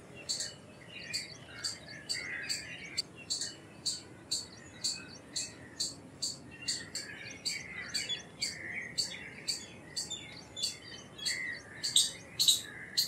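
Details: Indian palm squirrel giving a long run of piercing high chirps, roughly two per second, growing louder near the end. Faint bird twitters continue underneath.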